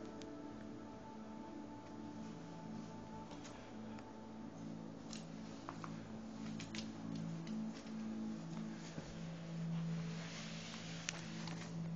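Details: Soft indoor music plays steadily at low volume, with scattered light clicks and taps and no animal voice.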